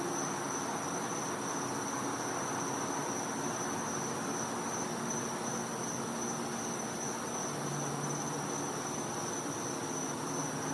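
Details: Winter night in a Floridian back yard: cicadas keep up an even, piercing high tone throughout, with a soft hiss and a brief low hum late on.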